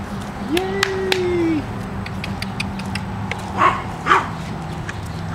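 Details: Pekingese dogs raised in a home in Akron, Ohio: a drawn-out whine that rises and then holds level for about a second, followed later by two short sharp yips, all over a steady low hum.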